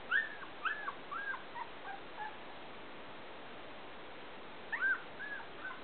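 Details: Whimpering Pointer puppies, Wild Apple Kennel, 2011: a quick cluster of three or four arched, squeaky whines opens the recording, then a long quiet hiss before another short burst of bent whimpers near the end.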